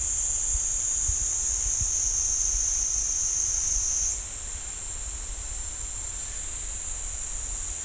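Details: Steady, high-pitched cicada drone from the pine forest at Ssanggyesa temple, Jirisan National Park, rising a little in pitch midway and otherwise unbroken.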